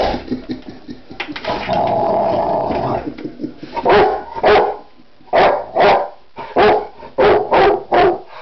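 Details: A pet Rottweiler, which dislikes its owner's office chair, goes wild at it with a string of loud, deep barks, starting with a low growling rumble.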